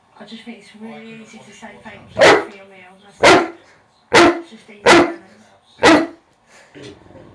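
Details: A male Rhodesian Ridgeback barks at a computer he has come to hate because of its keypad. A person talks first, then come five sharp, loud barks roughly one second apart.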